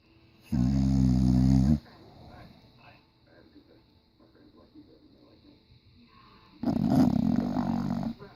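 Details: English Bulldog in diapers, asleep and snoring loudly: two long, rasping, low-pitched rumbling snores about five seconds apart, with quiet breathing between them.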